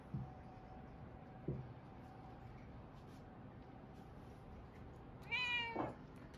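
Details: Munchkin cats Pocha-kun and Chaabo, grumpy after being teased, trade paws in a cute squabble; two short soft chirps early on, then one loud drawn-out meow with rich harmonics, rising and falling, near the end over quiet room hiss.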